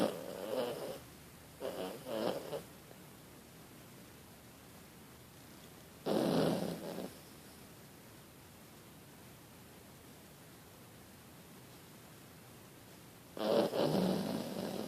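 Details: Small sleeping pet dog snoring: broad, rasping noisy bursts, each about a second long, in spaced groups with long quiet gaps between, no other clear sounds.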